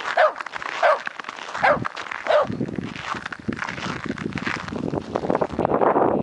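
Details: Wirehaired dachshunds playing outside after freezing rain; four sharp, ringing barks come roughly every three-quarters of a second, then give way to steady scuffling and rustling as the dogs romp.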